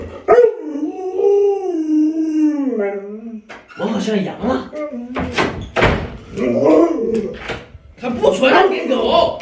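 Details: Indoor pet Alaskan Malamute Lolo answers an owner's fake puppy-stewing prank with a long, wavering, slowly falling howl lasting about three seconds, followed by busy human speech and laughter.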